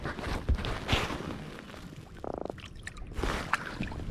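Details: Water splashes, dripping and handling noises from a kayak on a creek, with a brief ratcheting buzz and no animal calls.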